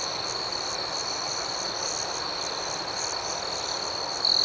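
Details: Steady nocturnal chorus of crickets, a shrill high drone with soft rhythmic pulsing, ending with one louder chirp from a nearby insect.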